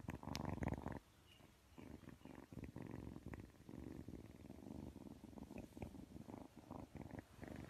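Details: Close, loud cat purr: a dense low rumbling drone that swells and eases with the animal's breathing, with one louder rustling burst near the start and no other sounds.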